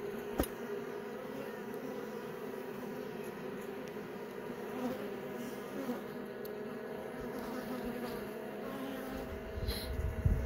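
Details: Honey bees in a hive as several young bees emerge from their brood cells: a steady, even hum with a droning band around the middle pitches, occasional faint clicks and handling knocks.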